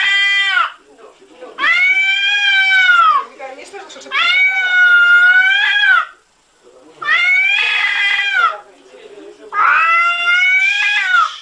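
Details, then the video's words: Domestic cat 'speaking' with weird noises: four long, loud, strained yowls with strong overtones. Each lasts one to two seconds, holds a fairly steady pitch and dips slightly at the end. The calls come at irregular intervals of about two to three seconds. "CATS SPEAKING & making wierd noises"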